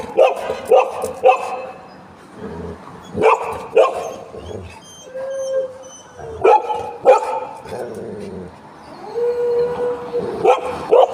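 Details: Pet Golden Retrievers, two dogs, reacting to a new friend with repeated sharp barks in clusters, interspersed with long steady whining howls and whimpers, a woman talking to them throughout.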